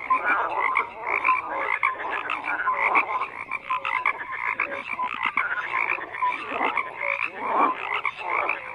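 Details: A thick frog chorus, croaks overlapping from many animals, grating pulses mixed with short clear notes, constant throughout with no pauses and no other noises.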